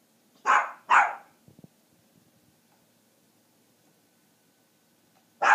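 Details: A puppy, deliberately provoked by its owner to show its loud voice, gives two quick, high, yappy barks, then falls quiet before barking once more.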